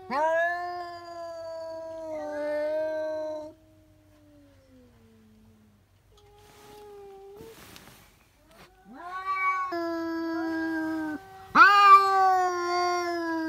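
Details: Domestic cats indoors screaming after noticing a cat outside: drawn-out descending yowls, a quieter trailing moan and lull, then renewed loud wails, the last one strained and harsh.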